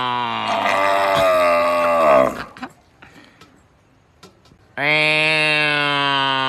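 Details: A cow gives a long, deep, resonant moo that slides downward and fades. After a silent pause a second equally loud, drawn-out moo starts.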